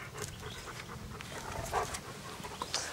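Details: German Shepherd named Anita playing with an American Staffordshire Terrier puppy in 2008; quick, rough, breathy panting runs steadily through the clip as a soft noisy rush, with faint clicks and rustles of play around it.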